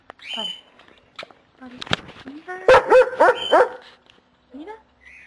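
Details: Pet dog in a playful morning exchange with its owner, giving short whiny yelps, then a run of harmonic, wavering yowls near the middle, with quieter bits of a person's voice between them.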